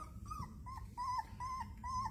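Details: Newborn puppies of a mother dog whose noise wakes the household cats; thin high whimpering whines, short rising-falling squeals repeated about every half second over a low background hum.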